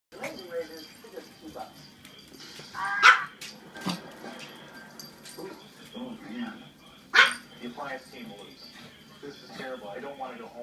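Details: Two pet chihuahuas playing together, 12-year-old mixed-coloured Fiesta and 5-month-old black puppy Daisy; two sharp, loud yipping barks burst out about four seconds apart over ongoing human chatter and low household background noise.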